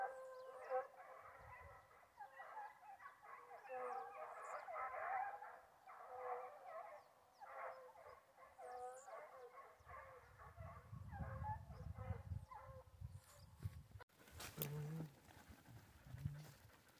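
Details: Foxhound howls during a wild boar hunt, with repeated wavering bays over a noisy background. A low rumble builds after ten seconds, and a sharp handling crash at fourteen seconds is followed by quieter howls.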